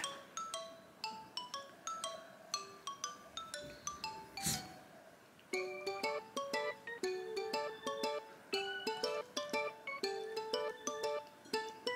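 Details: Bright mallet-percussion music, like marimba and glockenspiel, plays steady plucked notes throughout, with a louder swell near the middle; no animal voice is heard.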